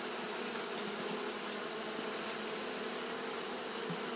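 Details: Many Japanese honey bees keep fanning through the heat of a hot day, making a low, droning buzz that holds steady, overlapped by a bright constant high-frequency sizzle.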